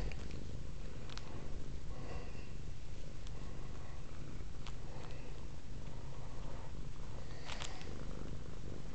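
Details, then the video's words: Velvet, a female house cat, purring steadily up close indoors while interested in a cord hanging from the camera; a deep continuous rumble fills the low range throughout, with a few soft clicks and rustles above. "Velvet is purring"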